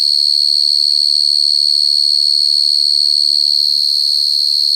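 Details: Shrill, unwavering high trill of a cricket fills the whole recording, with a brief faint low sound near the end.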